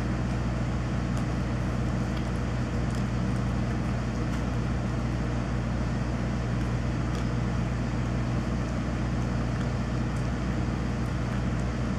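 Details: A loud, steady electrical transformer hum fills the air, with a low droning tone and broad rushing noise like distant traffic, and no animal voice stands out.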